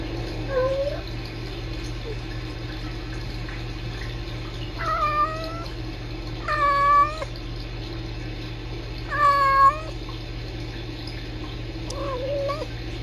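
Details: Two kittens, Sisko and Mila, filmed on a live streaming cam at the Tiny Kittens Society, trilling and talking to each other: short rising chirrups and trills, about five calls spaced a few seconds apart, over a steady low hum.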